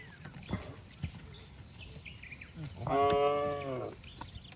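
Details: A herd of cattle jumps and runs down a lush green hill in the countryside; after thuds and trampling, one strong, steady moo lasting about a second and a half sounds near the end.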